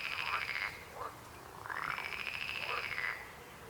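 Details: Croaking frogs: two long rattling, pulsed trills, the second longer and louder, with faint overlapping calls between them.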